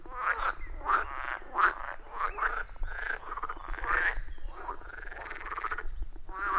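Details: Loud, rhythmic frog chorus from a wild pond deep in a forest, recorded on an iPhone 14 Pro with a Shure MV88+: continuous overlapping croaks, harsh and pulsing, one caller after another with barely a pause.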